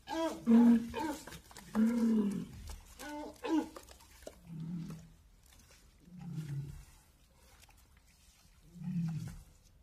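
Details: A walrus utters three loud, strained harmonic roars, then three softer, lower grunting moans at regular intervals, with quiet gaps between them.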